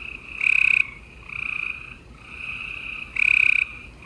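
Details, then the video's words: Chorus of gray treefrogs on an April night in Houston, Texas: pulsed trilling bursts under a second long, two loud nearby calls standing out over a steady backdrop of softer trills from other frogs. "Gray Tree Frogs Chorus"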